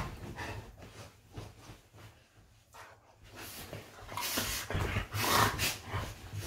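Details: Golden retrievers play fighting in bed, indoors; low rumbling growls and snorting breaths come in irregular bursts, louder toward the end with rustling bedding.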